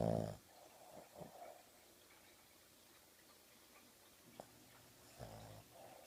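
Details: Sleeping on a sofa in the morning, Oogie the dog, eyes open and wiggling, lets out a harsh, throaty snore at the start and a second one near the end, with soft rustling in a quiet room between.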